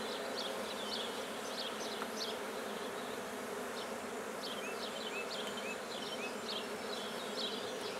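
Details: Black bees at a freshly started hive in Guernay, Côtes-du-Nord, France, hum steadily and low; birds add quick chirps and a few short rising whistles over the drone.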